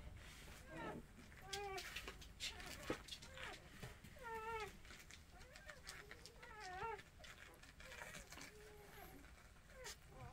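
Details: Motherless puppies during hand-feeding give short, wavering high whines in scattered bursts, a few seconds apart, over a steady background hiss and some handling noise.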